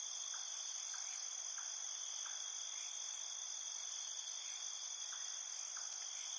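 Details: Cricket chirping after dark, heard as an even, piercing high-pitched trill that never pauses, overlaid by faint short chirps repeating roughly twice a second.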